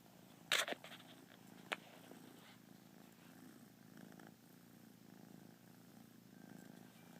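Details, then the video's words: Kitten resting on a lazy day, purring in a quiet, low, steady rumble after a sharp clatter and a soft knock at the start. "Little yawning purr machine."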